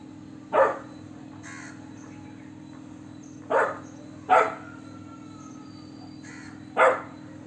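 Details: Golden Retriever puppy giving four abrupt, husky barks at uneven intervals, two close together near the middle, with a low steady hum underneath.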